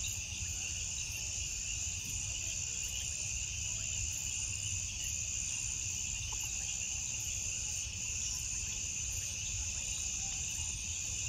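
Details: Crickets singing after dark in a constant, loud, high-pitched wash of trills, evenly sustained throughout, with faint regular pulses above it and a low rumble of background noise.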